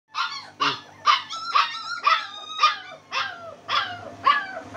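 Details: German Spitz puppy giving a quick series of about nine sharp, high yips, each a short rising-falling bark about half a second apart, with a faint low hum underneath.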